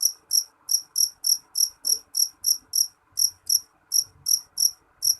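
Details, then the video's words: A jeliteng cricket calls in piercing, high chirps, a little uneven in spacing, around three per second over five seconds, with a soft low murmur in the background. "Suara jangkrik jeliteng nyaring"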